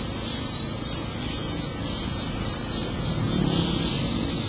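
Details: Cicadas in full chorus in August 2008, a shrill continuous hiss overlaid by a lower pulsing call repeating roughly every half second, with a noticeable low background rumble.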